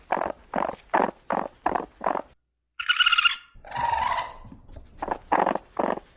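A raccoon gives a run of harsh, rhythmic chuffs, then a thin squeal and a raspy snarl.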